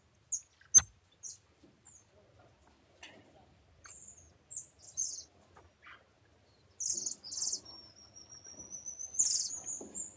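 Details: Golden marmosets chattering: very high, thin chirps and short buzzy bursts scattered through the clip, a sharp click early on, and a long, level, whistled note drawn out near the end, with quiet pauses between.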